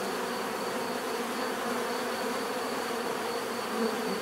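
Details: Bee buzzing as an even, droning hum, with a brief louder swell near the end as one insect seems to pass closer.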